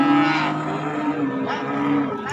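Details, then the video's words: Cattle at an Indonesian livestock market, where calves and young bulls are on sale: one long, steady, low moo held for over two seconds, with a rich buzzy tone and faint crowd noise behind. "SAPI PEDET DAN BAKALAN JANTAN"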